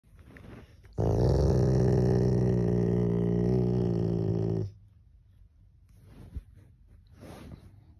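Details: A male pet Rottweiler growls aggressively while its owner holds it back from biting. A steady, deep, rumbling growl lasts about four seconds, followed by quiet handling noises and soft breathing.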